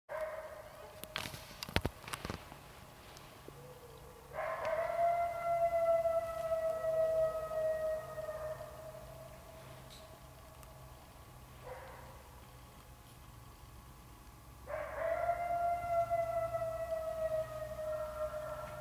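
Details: Wild wolves howling about 60 yards away after chasing a deer, coyotes joining in; long steady howls with harmonics, two drawn-out voices from about 4 to 11 seconds, another rising howl near 15 seconds, sharp clicks early on.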